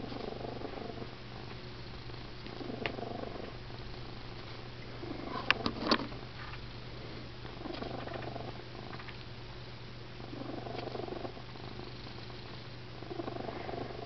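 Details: Pet cat named Molly, sitting on a suitcase, snoring very loudly: soft, breathy, rasping bursts that swell and fade roughly every two and a half to three seconds, with a few sharp clicks and knocks near the middle.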